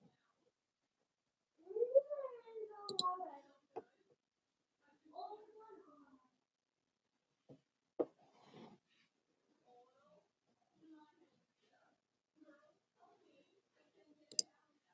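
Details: Blenheim Cavalier King Charles Spaniel puppies, a litter of five born on New Year's, playing with their mother Paris in an indoor puppy pen; wavering harmonic whines and yelps in two bursts, then soft scattered squeaks and a few sharp clicks.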